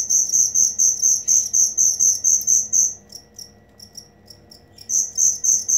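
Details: Cricket recorded as material for training songbirds, giving loud high pulsed chirps about twice a second, breaking into short scattered fragments midway, then resuming its steady rhythm.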